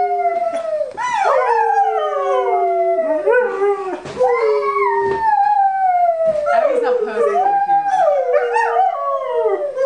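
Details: Singing along to Happy Birthday for a three-year-old, Libbie the dog lets out drawn-out howls that slide downward and waver, with singing voices mixed in indoors.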